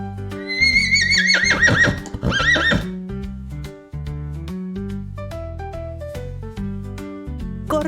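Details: Horse whinnying: a long, shaky neigh that trembles and falls in pitch over about two and a half seconds, with a steady children's tune playing underneath and continuing alone afterwards.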